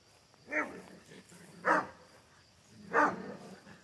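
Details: . Central Asian Shepherd Dog in Michigan giving three deep, full barks spaced about a second apart, each a broad burst with a strong low harmonic base, against quiet outdoor background.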